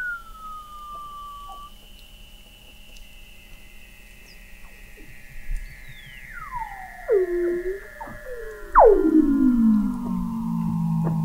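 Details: Weddell seals beneath the sea ice of McMurdo Sound, Antarctica, captured November 2017 at 21 m depth: a long falling whistle, then a burst of swooping downward calls ending in a loud, low, buzzy descending note.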